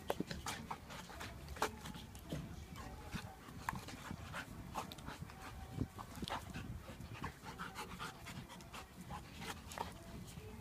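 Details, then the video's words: One-year-old Labrador pup Myla play fighting in a garden with Blade, a Japanese Akita: quiet, rapid breathy panting mixed with dense short scuffling and clicking noises over a low rumble, no clear barks. "Play Dog Fight Myla the Labrador vs Blade the Japanese Akita"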